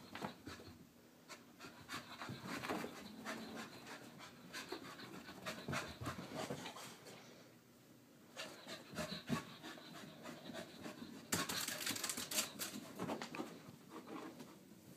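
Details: Wheaten Terrier Harley doing her morning exercises, panting rapidly and steadily at about three breaths per second, with a brief dip near eight seconds and scattered higher clicks later.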